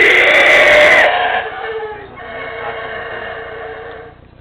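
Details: At Tikal in Guatemala, howler monkeys woken by a guide clapping and calling give a loud, pig-like squealing howl, strongest in the first second and then trailing off into a softer, sustained rasp.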